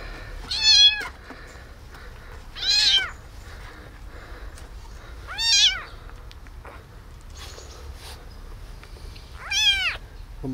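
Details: Tiny abandoned kitten saved from a box on the street, giving four sharp, piercing meows roughly every two to three seconds, each rising then falling, with quiet low rumble between calls.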